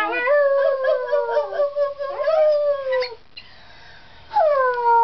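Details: Arctic wolf cub about ten weeks old perched on a cat tower indoors, giving two wavering, slightly rising howls with a quavering start, then a pause and a fresh falling howl at the end.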